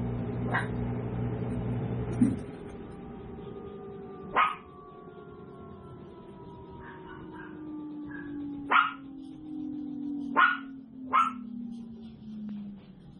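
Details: Seven-week-old tiny toy poodle puppies yipping at a home breeder. Six or so high, sharp barks are spaced a few seconds apart, with a low hum and a faint tone sliding slowly downward in the background.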